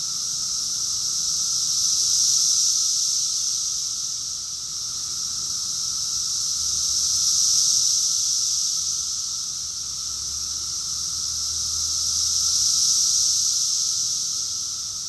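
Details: Cicada chorus recorded in summer, June 2021, in Rockville, Maryland, USA: a dense, unbroken high buzzing drone that swells and fades in slow waves about every five seconds, with a faint steady lower hum beneath.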